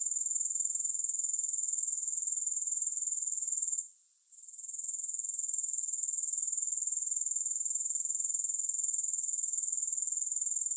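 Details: Soothing grasshopper sound without music: a constant, piercing high trill with regular pulses around four per second, interrupted by a short quiet gap near four seconds before resuming evenly.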